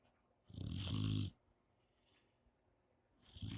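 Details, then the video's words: Mastiff puppy asleep, giving one long, low rattling snore with a breathy hiss, a quiet gap, then the next snore beginning. "Napping Mastiff puppy snores!!!"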